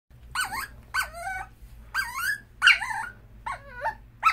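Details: Male dachshund in a hospital cage, wanting to get out: high, wavering whines that bend up and down, five or six in a row about every half second to second, over a steady low hum.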